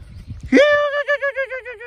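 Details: Siberian Husky giving a single drawn-out call: a quick upward scoop into a steady mid-pitched tone that breaks into a rapid wavering, yodel-like pulsing for over a second, with a person calling out just afterwards.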